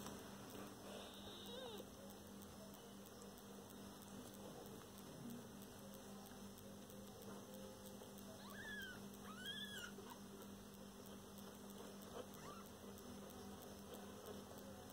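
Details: Mother cat and kittens: a few thin, faint mews, then a pair of clearer arched meows after a quiet stretch, set against constant low hum and light background rustle.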